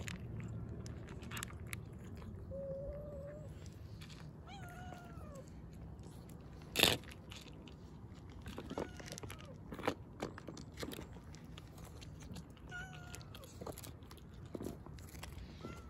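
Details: Stray ear-tipped cats eating dry kibble and wet food; a few short, thin meows with gliding pitch sound now and then over steady crunching and chewing, with one sharp knock partway through.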